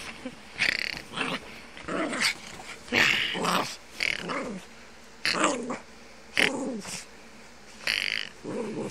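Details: Playful, hyper Rosie, a 10-month-old female Jack Russell Terrier, growls in hoarse, raspy bursts repeated roughly once a second. Each rumble is short and uneven, with a buzzy mid-pitched edge, and little else can be heard between them.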